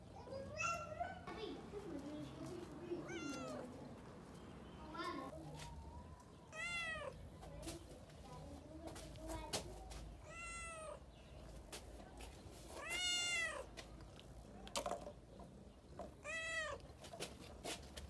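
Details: Brown domestic cat giving a series of drawn-out, arching meows, about one every three seconds, with quieter murmuring voices and low background hum between calls.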